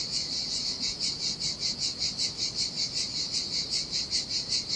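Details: Cicadas singing in summer heat beside the Sardinia sea on a desolate beach: a dense, shrill buzzing pulsing about two or three times a second, steady throughout, over a soft low wash of surf.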